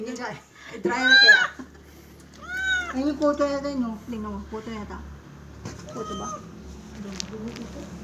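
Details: Cat at its first bath giving several sharp, plaintive meows, one rising and falling, amid people talking and low water noise.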